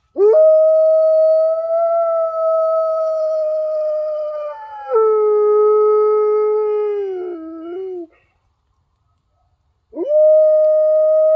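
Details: Giant Alaskan Malamute howling with coyotes: a long, pure, sustained howl of about eight seconds that steps down in pitch midway and slides lower at the end, then a fresh howl begins after a short silence.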